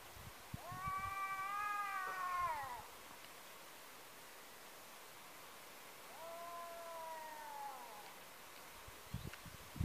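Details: Neighbourhood tomcats in a fight after being chased apart, one meeting a second rival. A long wavering yowl, a pause of quiet, then a shorter falling howl, with faint knocks in the background.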